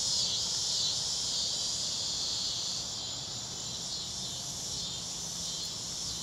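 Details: Daytime chorus of many cicadas heard all around, across and down the street, blending into a continuous shrill, sizzling drone that barely wavers, with crickets softly trilling underneath; cicadas stop at sunset while crickets carry on at night.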